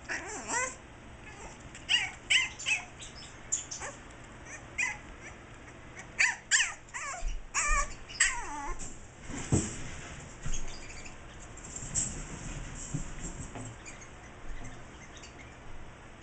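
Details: A 7.5-week-old French Bulldog puppy gives a string of high, squeaky whines and yips, mad and wanting to get out to his human mother.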